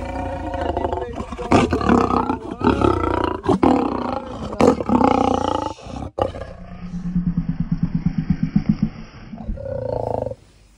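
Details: Zoo lion being vaccinated in Normandy. Harsh, loud roaring bursts with sharp knocks and clatter come first, then a steady run of low rhythmic pulsed grunts, ending in a short, higher groan.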